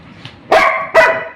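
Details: Labrador Retriever barking while fighting for food: two loud, harsh barks about half a second apart, with a person speaking softly beforehand.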